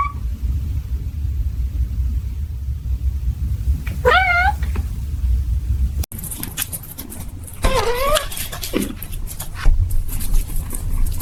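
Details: Two separate meows from a cat, each rising then dipping, spaced about four seconds apart over a constant low background rumble, with a sharp knock between them.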